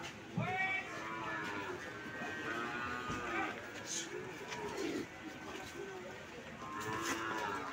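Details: Calves for sale at the Sokaraja cattle market: several drawn-out, harmonic moos rise and fall, with a longer bellow near the end, over a steady din of market chatter and voices.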